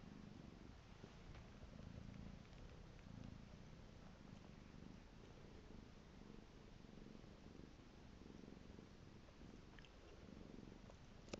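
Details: Piko the cat purring, a continuous throaty rumble beating in even cycles, with a sharp small click near the end.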